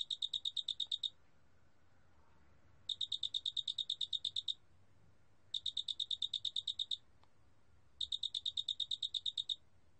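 A cricket sings clear, high trilled chirps, each a rapid string of pulses, repeated every two and a half seconds.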